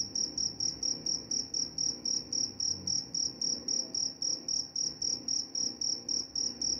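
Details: Shrill, high-pitched cricket chirps pulsing in a fast regular beat, roughly three to four per second, continuous throughout against a quiet low background hum.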